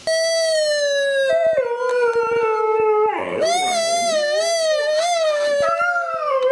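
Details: Dog howling in one long, steady, tonal howl that dips slightly in pitch, then rises into a wavering, higher-pitched stretch with a brief rough break partway through, indoors.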